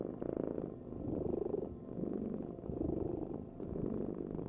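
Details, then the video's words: Short stretch of a cat's rhythmic purr, a throbbing low buzz that swells with each inhale and exhale in regular waves. "Heal with the ultimate cat purring vibration"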